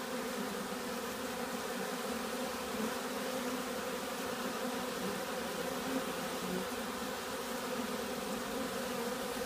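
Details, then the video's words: Steady massed humming of excited honeybees, perhaps robbing another colony, a continuous layered drone with faint higher whines rising and falling over the constant buzz, no other sounds standing out. "Räuberei - oder eine andere Aufregung?"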